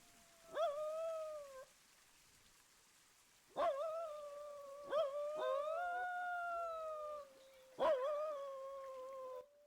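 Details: A coyote gives long, wavering howls that begin with a sharp yip and slide into a sustained tone, a howl used to call its pack as a long-distance check-in.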